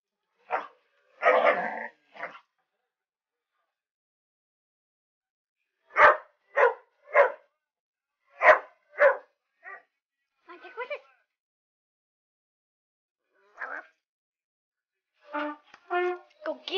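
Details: Dog named Tucker barking at an alligator head; clusters of short sharp barks and yips separated by long silent gaps, quieter softer barks in the middle and end.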